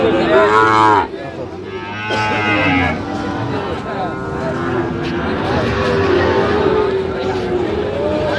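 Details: Sahiwal bull calves at a cattle market in Chattogram, Bangladesh: a loud drawn-out moo with stacked harmonics, rising then falling, over busy crowd chatter and bargaining voices.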